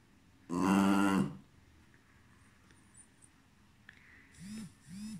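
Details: Cairn Terrier named Tobíček giving a low, rough drawn-out growl lasting under a second, followed by quiet room noise and then two short whining, arching squeaks near the end.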